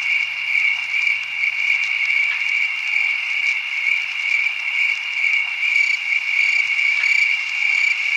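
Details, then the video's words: A field full of crickets chirps together in a steady, high, shimmering chorus that barely pauses. "Field Of Crickets Chirping Sound Effect"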